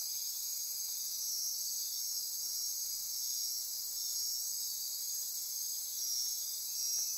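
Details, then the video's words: Rainforest insects calling at midnight near Corcovado National Park, Osa Peninsula, Costa Rica, an intense shrill buzzing and trilling drone with slow gentle pulsing swells in loudness, no other sounds standing out. "Midnight Insect Chorus"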